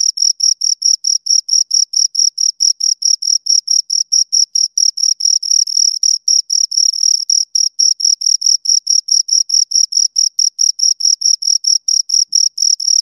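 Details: Cricket chirping from a pair of crickets recorded close by, a fast stream of shrill, evenly pitched pulses, the two callers' beats overlapping into a dense, slightly irregular rhythm; nothing else audible.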